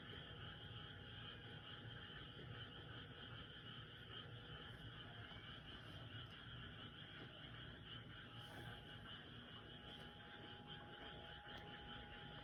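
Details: Frogs calling noisily at night, a dense unbroken chorus forming steady high droning bands throughout, with no single croak standing out and a low background rumble underneath.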